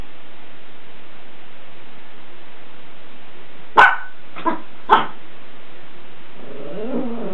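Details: Miniature Pinscher named Choco, a male almost two years old, reacting in a bathroom to a water cup lying on the floor that frightens him; three short barks near the middle over steady hiss, then a brief whine.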